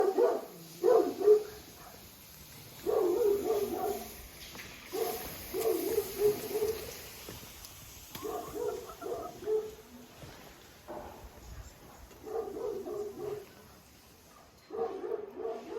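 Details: Jack Russell Terrier named Oscar barking in repeated bursts of short, harsh barks, separated by pauses of a second or two, with a faint steady hiss in the background.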